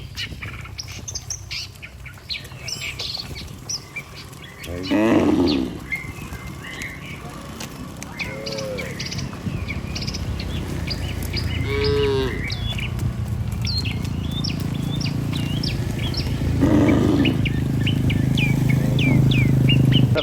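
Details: Healthy cattle herd walking together toward the barn with a herder, giving low, drawn-out harmonic moos at about 5, 12 and 17 seconds, over constant bright chirping of small birds and rural background hum.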